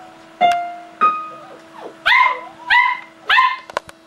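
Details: Lexie, a female Samoyed puppy playing piano indoors, strikes two sustained keys, then gives three very loud, high-pitched yaps about half a second apart, with a steady electrical hum underneath.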